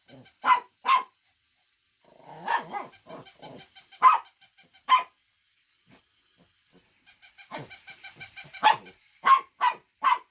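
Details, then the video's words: Dog giving loud single barks and short pairs, separated by softer whimpering sounds and quiet gaps, finishing with a quick run of three barks. "Funny Dogs Barking to Make Your Dog Bark"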